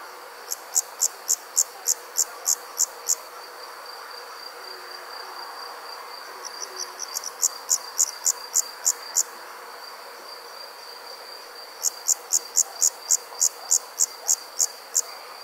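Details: An insect gives bursts of sharp, high chirps, about three a second, over a faint steady evening hum.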